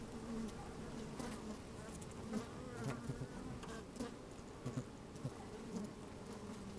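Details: Honey bees working inside an opened hive on a fine, sunny day, microphone slid down among them: a steady low droning hum with a higher overtone band, scattered clicks and crackles of bees moving about, occasional louder buzzing bursts.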